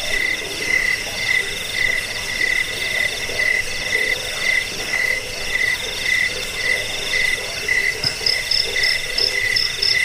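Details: Crickets (jangkrik) chirping, used to drive away rats, as a sleep aid and for training songbirds; a steady pulsed chirp repeated about once per second, with a fainter higher trilling chorus and other insects in the background.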